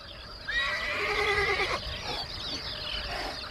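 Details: A horse among free-roaming grazing horses in the Neusiedler See national park wetland with reed beds on Austria's Hungarian border gives a single long, shrill, wavering whinny of about a second, then softer rustling.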